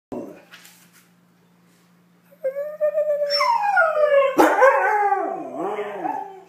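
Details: A Siberian husky "singing" just because, howling in a long, wavering, sing-song voice that swoops up and then slides down.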